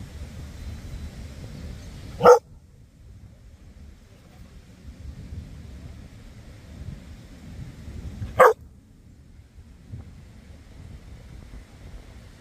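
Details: A Border Collie at English Bay in Vancouver gives two sharp, single barks several seconds apart over a low outdoor rumble.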